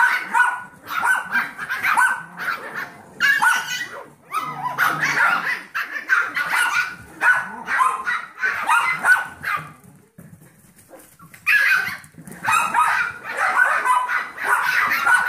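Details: Seven-week-old Yorkshire Terrier foster puppies, Max, Molly, Meldoy and Magenta, being entertained by Trouble, a 15-week-old Golden Retriever mix foster puppy; shrill overlapping yips and barks come in dense bursts, with a brief quiet gap near the ten-second mark.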